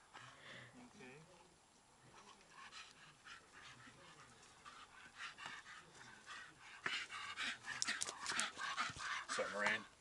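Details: Archie, a pet dog, pants while playing ball: quick breathy bursts, louder and denser through the last few seconds, follow a stretch where a person's voice talks over softer breathing.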